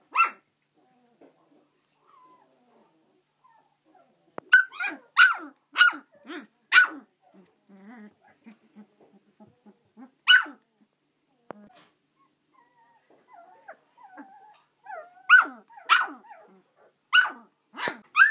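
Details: Swedish Elkhound (Jämthund) puppies from a litter of twelve, kept indoors, give sharp high yipping barks in short bursts, clustered around five to seven seconds, again near ten seconds and at the end, with soft human voices between.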